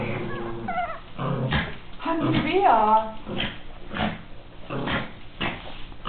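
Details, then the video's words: Miniature Pinscher dog playing indoors: low rumbling growls and short harmonic yelps in bursts about every second, with a rising whine near the middle and a person speaking in between. "Zwergpinscher " KIWI " beim Toben"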